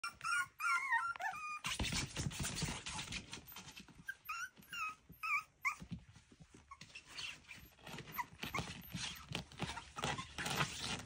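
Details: Miniature schnauzer pups at play indoors: high squeaky whimpers and yelps with bending pitch come in quick bursts early on, then fade into scuffling, rustling and thumping as the puppies romp in a small room.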